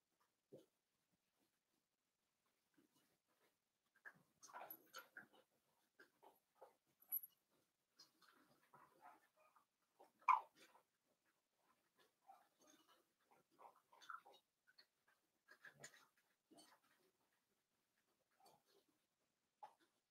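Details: Blenheim Cavalier King Charles Spaniel litter of five newborn puppies in their indoor pen, making scattered soft squeaks, grunts and thin whimpers with quiet gaps, one louder yelp midway.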